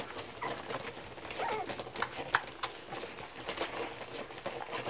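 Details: Several Kromfohrländer puppies at a milk meal, their steady smacking and clicking feeding noises broken by brief high squeaks around the middle of the passage.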